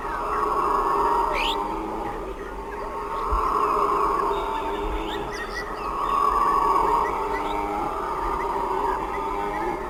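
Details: A troop of howler monkeys roars together near sundown in deep, droning waves that swell and fade every few seconds.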